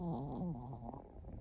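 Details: Chihuahua aged one year four months, asleep indoors with its eyes open. It makes a low, nasal, buzzing snore that wavers in pitch and then trails off into rough breathing.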